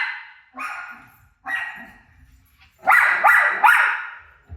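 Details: Pet dog Rosie reacting to her own barking on television, giving drawn-out single barks and then a fast cluster of three loud, harsh barks.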